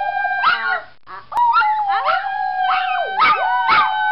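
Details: Toy poodle howling along with its owners indoors: sustained, wavering tones with rich harmonics, sliding up and down in pitch, broken by short yelping breaks and rising swoops over about four seconds.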